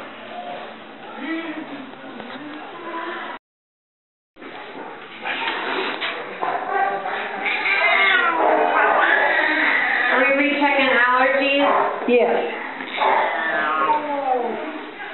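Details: Shaking, cranky old male Burmese cat during a vet exam for allergies: wavering, complaining yowls overlapping with people talking, broken by a brief silence near the start.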